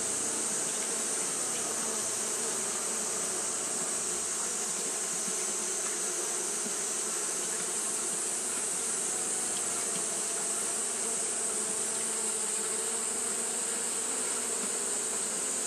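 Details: On a hot day, Japanese honey bees keep up fanning behaviour, giving an unbroken low buzzing drone that wavers slightly in texture, over a steady high hiss.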